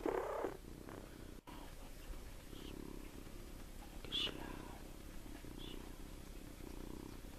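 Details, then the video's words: Little Tommie, a farm kitten of 7 weeks, snoring while asleep in a hand; gentle low purring breaths pulse at a steady rhythm, with a brief dropout and a few faint higher squeaks or rustles. "Little Tommie sleeping and snoring"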